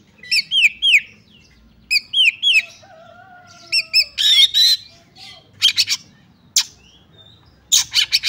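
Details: Oriental magpie-robin fighting song, for testing rival birds: paired rising-falling whistled notes in quick groups, a few low drawn-out whistles, then harsh raspy bursts with quiet gaps between.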